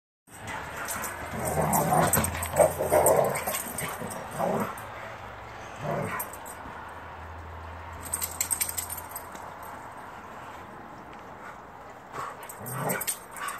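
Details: Two dogs wrestling outdoors after being let out at midnight, giving low rumbling play growls in bursts over the first few seconds, then scuffling and panting, with rustling and faint hissing noise in the background.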